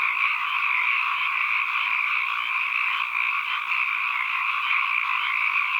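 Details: Ambient recording of calling frogs, many voices merged into a continuous, even chorus. A shimmering two-toned drone of mid and high pitch holds at steady loudness, with no gaps, individual croaks or other noises.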